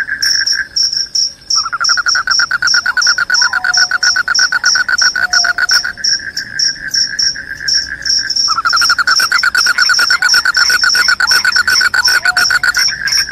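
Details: Loud cricket chirping, said to drive away rats and bring sleep: dense pulsed trains of mid-pitched chirps with a steady high shrill band above. Several insects overlap, some with brief lower sliding tones.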